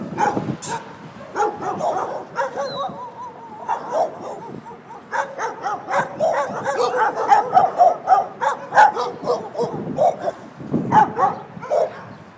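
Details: Several dogs at a doggie daycare in San Antonio, Texas, barking while waiting for their owners: overlapping sharp barks and yips, some whining tones, in bursts through the clip, with faint voices in the background.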